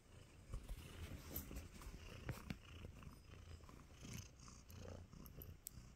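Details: Content tabby kitten Nacho purrs while giving love bites, a soft low rumble rising and falling in short swells, with occasional light taps and rustles close by.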